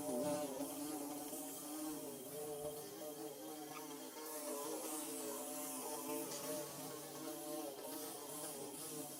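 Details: Bees building their nest: a steady, wavering buzz of several overlapping wingbeat tones, low and droning, with slight rises and falls in pitch throughout and a faint background hiss.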